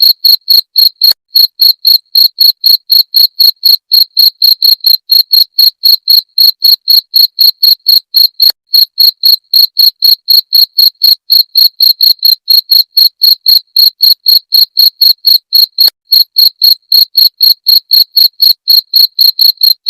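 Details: Cricket chirping, presented as a sound for repelling rats: sharp, high, clean pulses repeated steadily about four times a second for the whole stretch, with a quiet background and no other sounds.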